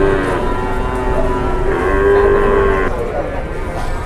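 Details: Cattle at a busy Indonesian cattle market where buyers haggle over dairy cows; one sustained, even moo held for about a second amid loud crowd noise and people talking.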